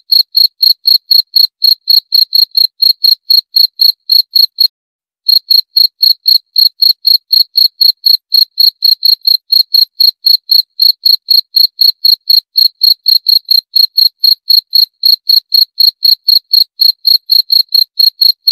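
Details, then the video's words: Long run of rapid, shrill cricket chirps at a steady pace of about four per second, broken once by a short silent gap near the five-second mark, then resuming unchanged. No other sounds. "28 Menit Suara Jangkrik - 28 Minutes Cricket Sound Effect"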